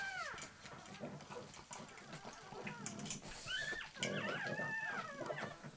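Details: Indoors, a female pug demands access to the feed bowl from a male pug. Short, rising and falling whines in quick succession, rising in pitch toward the end.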